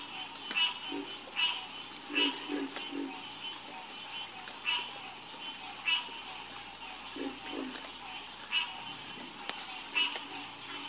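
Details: Chorus of frogs croaking: short, low clucking croaks paired with brighter raspy notes, coming in loose bursts every second or two, over a steady high-pitched buzzing drone that runs throughout.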